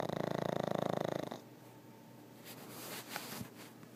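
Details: Very loud snoring from a pug, a rough, fluttering snore of over a second with fast regular pulses, followed by a softer stretch with a few small clicks and rustles.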